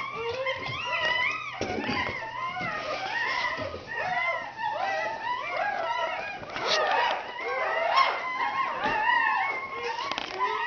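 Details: Red Standard Poodle litter being born in 2010, indoors: a chorus of thin, wavering squeaks and whimpers from several newborn pups, each cry bending up then down, nearly continuous, with occasional handling thumps.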